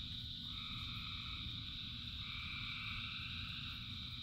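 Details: Frogs in the rain, part of a huge chorus: two back-to-back sustained two-tone calls, each lasting over a second and a half, layered on a bright continuous drone, with rain rumbling steadily beneath.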